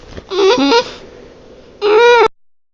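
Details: Bulldog's horrible noise: two sharp, squeaky nasal whines, the first wobbling up and down in pitch, the second steadier and ending abruptly, with near silence between them.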